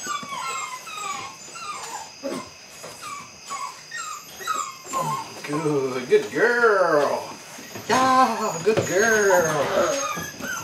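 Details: Belgian Malinois puppies, eight weeks old, from the Android Whiteline Czech x Mason's AnnieLou litter at the start of bite work: falling whimpers give way to louder arched, harmonic yelps in quick bursts near the end.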